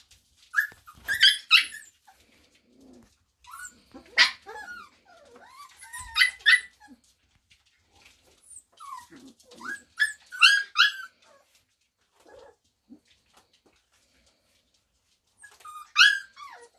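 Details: Samoyed puppies four weeks old from a Christmas litter, giving short high squeaky whimpers and yelps in scattered bursts separated by brief silences.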